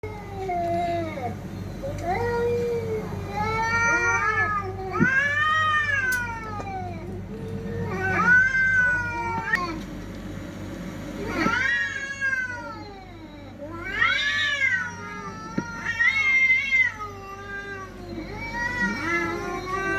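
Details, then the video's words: Fighting cats trading loud, wavering caterwauls: arched, rising-and-falling wails in bursts every few seconds, some sliding high and harsh, others lower and drawn out, over a steady low hum. "TRY THIS SOUND ON YOUR CATS"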